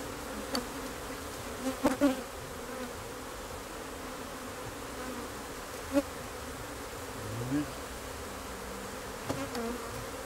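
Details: Low, even drone of honey bees with a few brief louder buzzes near the start, at six seconds and toward the end, plus a short deeper hum midway.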